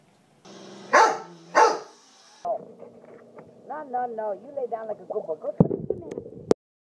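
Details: Backyard Rottweiler on home protection duty barking twice in quick succession, two loud harsh barks about half a second apart, then a man's voice calling and praising the dog.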